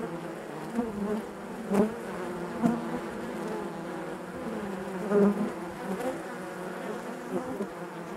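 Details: Steady droning of honey bees within the hive, layered humming tones with brief louder bursts as individual bees pass close, otherwise an even, unbroken buzz.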